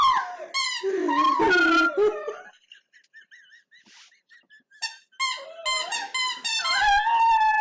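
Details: Dog Treasure at play with a squeaky toy indoors, giving wavering howls mixed with high squeaky notes, a quieter stretch of short squeaks in the middle, then a steady howl returning at the end.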